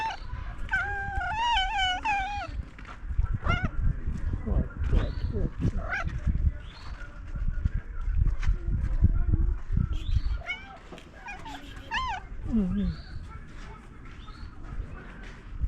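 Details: Cat that had been sleeping on top of a car, just woken and making strange noises: wavering, warbling drawn-out cries with rich harmonics, a long run in the first seconds, then shorter broken wails over steady low rumbling background noise.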